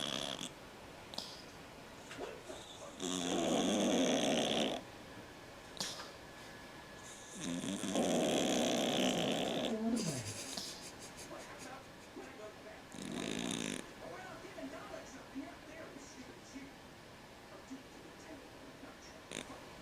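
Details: Cat asleep, snoring in three rough breaths of about one to two seconds each, spaced several seconds apart, the last one shorter; quiet room between snores with small clicks.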